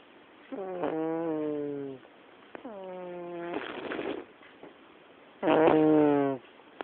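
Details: Black cat snoring in a living room: three drawn-out nasal breaths over about seven seconds, each a buzzy, slightly falling rasp, one with a breathy hiss, the last loudest, with quiet pauses between.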